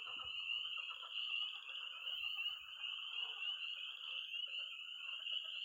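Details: On an early spring night in Missouri, frogs and toads around a pond, spring peeper tree frogs, croaking pond frogs and high-pitched trilling toads, chorus in a dense, steady high ringing trill with no breaks.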